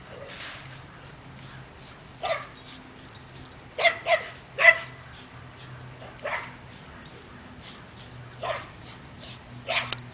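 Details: Belgian Malinois dog barking at a couple of donkeys across a fence, with irregular sharp barks, singly and in quick pairs, spread over ten seconds with quieter gaps between; a faint low hum runs throughout.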